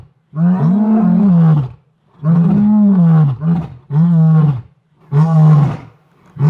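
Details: A male and female lion, likely of the Ntsevu Pride, at Londolozi after soft contact calls roar together in long, deep, moaning bouts, each swelling and fading over about a second and a half; other lions roar distantly.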